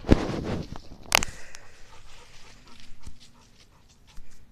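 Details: Dewey the dog playing outdoors at a dog park, giving two short, sharp bursts about a second apart, followed by quieter scuffling and faint rustling.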